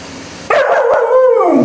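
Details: A young Alaskan Malamute puppy "shouting" at a vacuum cleaner gives a loud, drawn-out howling bark that starts abruptly and slides downward.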